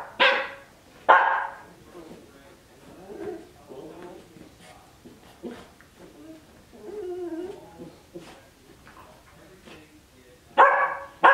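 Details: Cardigan Welsh Corgi pup of twelve weeks romping in its dog bed: two loud yelping barks open, followed by low play growls and grumbles, then a final pair of sharp barks.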